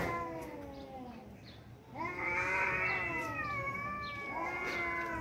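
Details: Two tomcats squaring off in a fight: a fading low wail, then a loud sustained yowl that swells and holds for several seconds with slight wavering.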